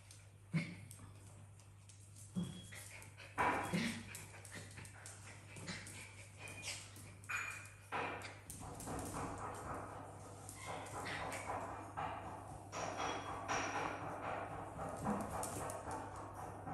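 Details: Africa, a pet dog living in a house with cats and exotic animals, wants to play with the tired cats; short sharp bark-like bursts come at irregular intervals over a steady low electrical hum, with rustling and movement noise building toward the end.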